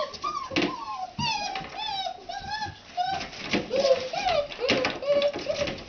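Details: Red Standard Poodle puppies from a 2009 litter just waking up in the morning, a chorus of overlapping high whining whimpers and squeaks, many rising and falling, with rustling and clicks in the background.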